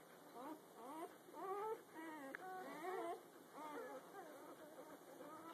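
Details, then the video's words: Litter of puppies under a day old, recorded the morning after birth, giving overlapping thin whimpers and squeals, some rising, some flat, several pups calling at once in a quiet room. "Puppy noises from a less than day old litter"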